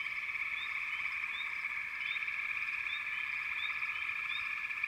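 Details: Chorusing frogs in a backwater: constant high-pitched trilling hum from many animals, overlaid by short upward chirps every half second or so.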